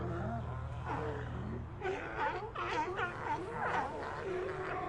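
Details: Sea lion colony: several overlapping moaning, wavering calls rise and fall in pitch, with a steady low hum beneath during the first seconds and a busier cluster of voices afterward.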